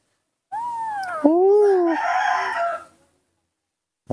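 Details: Baby monkey Nomi, hand-raised, throwing a tantrum because it does not want to be hugged: a loud wailing scream of two arched, rising-then-falling shrieks running into a harsher, noisier cry, about two and a half seconds long, then silence.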